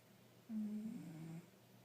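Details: Five-year-old tabby cat sleeping and snoring pretty loud: one low, steady droning snore lasting about a second, a single sustained rumble at constant pitch that stops abruptly, over a faint low hum in a quiet room.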